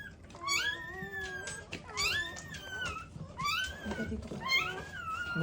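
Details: Newborn black Labrador Retriever puppies from a first litter, needing revival after birth, crying in thin, high, wavering squeals that rise and fall, several overlapping cries over a few seconds with faint human voices nearby.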